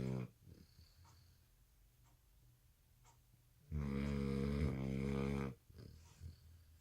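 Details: American Bully puppy, exhausted at night from skipping a nap after dinner, lets out one long raspy snore near the end of a stretch of soft breathing.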